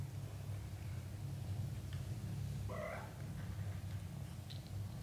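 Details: British Shorthair cat family indoors, mother cat letting her kittens out onto the floor to practise walking; a single short harmonic mew rises and falls over a steady low hum.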